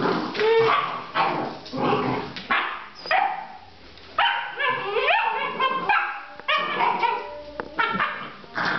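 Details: Basset Artésien Normand puppies, 8½ weeks old, giving high yelping barks and squeaky yips in uneven bursts, with rising whiny tones between, several young voices overlapping.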